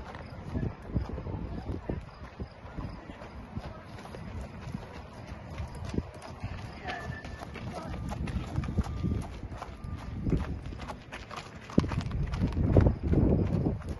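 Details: A 6-year-old Thoroughbred racehorse mare, about 16.1–16.2 hands, moves with low, muffled hoof thuds at an irregular pace of a little over two per second, with a person speaking throughout.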